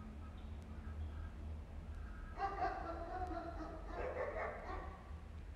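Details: Stray street cats in Istanbul, a mother cleaning her kittens: after a quiet start with low rumble, a run of harmonic meows rises over about three seconds, then fades back to background hum.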